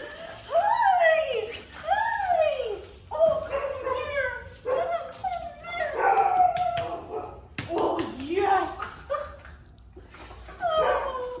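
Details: German Shorthaired Pointer Daisy reunites with her owners: arching, squeaky whines and quick yips repeat in bursts every second or so, mixed with overlapping cheerful human voices and brief music.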